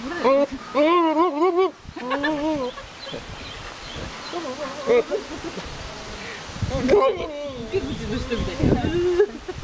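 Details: A male pygmy goat at Ouchiyama Zoo bleats in loud, wavering, quavering bursts, with rustling in the background, going wild when one particular person stands near it while ignoring another.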